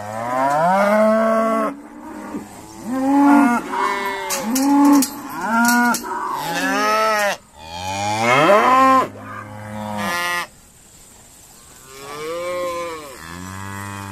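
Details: Noisy herd of Irish Dexter cows during sorting at Stone Meadow Farm; a continuous chorus of short, arched moos from several animals, many overlapping, followed by a few longer, quieter calls and faint clicks.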